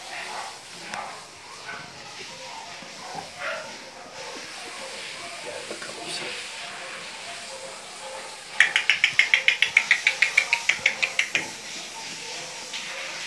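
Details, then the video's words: Pomeranian, a long-haired dog, gives a fast burst of high, sharp yaps, about fourteen in under three seconds, after a stretch of Turkish speech and household noise. "pomeranian dog"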